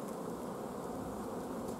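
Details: Many honey bees in a hive during a forage shortage, June 14, 2016, queen kept from laying; steady, dense low buzzing drone with slight flutter, evenly loud from start to finish.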